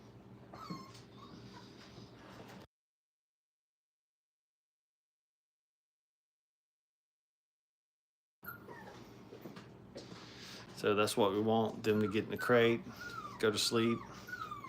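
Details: Brittany puppies, five weeks old and learning to crate train, whimper in a small room; a brief whine opens, a silent gap follows, then a run of rapid, strained yelping whimpers near the end.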